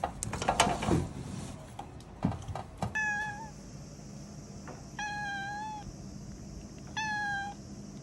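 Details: Domestic cat calling at a cicada it has spotted. Knocks and rustling come first, then three short, level, clear meows about two seconds apart over a steady background hum.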